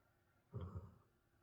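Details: A male Basset Hound, who does not usually snore and is sleeping at night while recovering from an injury, gives a single low, rumbling snore lasting about half a second.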